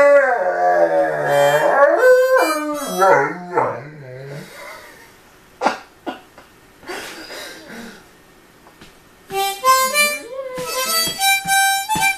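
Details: Great Dane puppy aged 5.5 months howling along on first hearing a harmonica; wavering, sliding howls weave among loud, bright harmonica chords and notes, then fall quiet before the harmonica returns.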